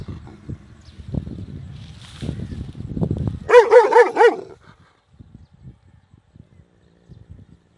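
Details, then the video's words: A big dog gives a rapid burst of about five loud, harsh barks in under a second, after low rumbling noise; quiet faint ticking follows. "Big Dog Barking Loud"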